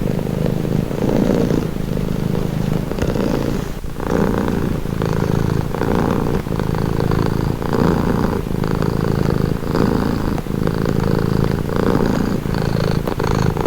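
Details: Purring house cat, low throaty rumble rising and falling in regular breath cycles roughly every one to two seconds, a few faint clicks, otherwise quiet.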